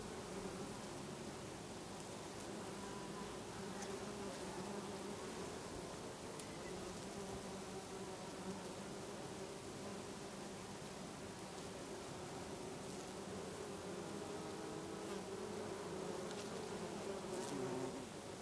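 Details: Many bees feeding on lavender in a garden in Brittany in August, a steady dense buzzing hum with layered low drones, continuous throughout, with occasional faint high ticks in the background.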